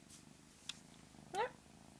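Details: Pet cat giving a single brief, upward-sweeping chirp with stacked harmonics, an odd sound likened to the aliens in the movie Signs, preceded by a faint click and a low purr underneath.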